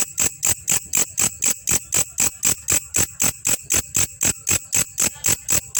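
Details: Belalang kecek grasshopper, a master recording for training champion songbirds: dry, scratchy pulses repeated steadily about four times per second, each with a bright high hiss, and no other sounds.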